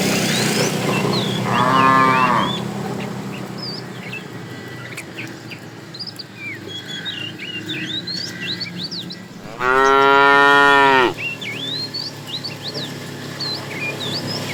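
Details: Afternoon herding of tame cows, a fat cow calling the female; a softer short moo early, then a louder, fuller moo near the end, with many small birds chirping throughout.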